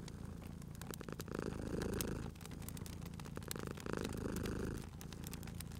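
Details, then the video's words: Sleeping cat beside a crackling fire, purring loudly: two strong waves of rough, rolling low purr as it breathes in and out, the fire's pops and sharp clicks sounding over the rumble. "Cute Purring Cat at a Crackling Fireplace"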